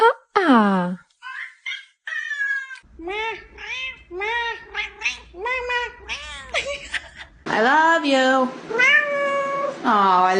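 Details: Pet cat imitating its owner's sounds: a falling cry, then a run of short arched meows about every half second, ending in loud, sustained wavering meows with a low background hum.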